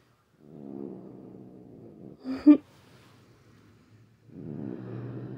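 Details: Grumpy female pet cat, usually calm, growling and hissing at length one evening; two stretches of low, rumbling growl separated by a short sharp burst of sound, with quiet gaps between.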